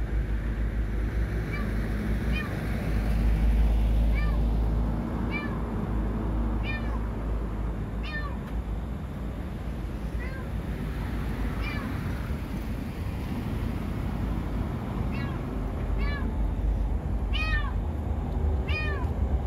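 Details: Domestic cat stuck inside or under a parked car in a parking lot late at night, crying for help; short, high, arched meows repeat about a dozen times over a steady low rumble, with a woman's voice nearby.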